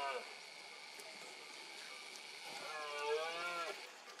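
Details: A red deer stag gives a deep, drawn-out roar during the 2022 rut in Cantabria, amid fog.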